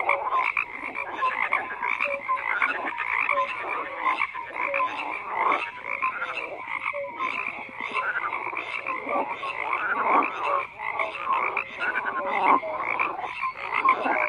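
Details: A thick chorus of croaking frogs, overlapping grating calls with short clear tonal notes repeating roughly every second, steady and continuous throughout.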